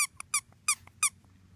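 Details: Two-week-old British Labrador Retriever puppies from Ruby's litter of six, whelped June 2015, give a few short, high, harmonic squeaks, four bright bursts spaced about a third of a second apart in a quiet room.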